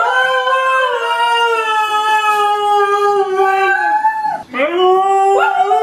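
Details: Siberian Husky puppy holding one long, even howl that slowly sags in pitch and fades, breaks off with a quick dip, then resumes with upward-sliding notes.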